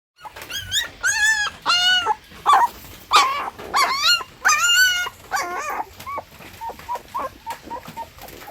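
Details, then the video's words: Puppy from a litter of six crying: drawn-out, wavering whines in quick succession, some rising then falling, about one and a half per second, giving way to short clipped squeaks near the end. "Puppy Crying Sound Effect"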